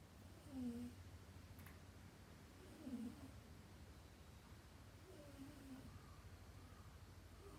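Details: Dayako, a house cat, snores in her sleep with three faint, low, buzzy breaths spaced about two and a half seconds apart, barely rising above a constant low hum and room hiss.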